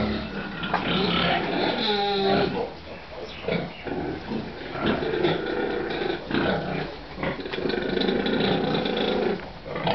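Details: Pigs on a rearing farm in Nepal, several animals overlapping in harsh, harmonic squeals and guttural grunts, with loud bursts near the first and second seconds and a continuous noisy clamour throughout.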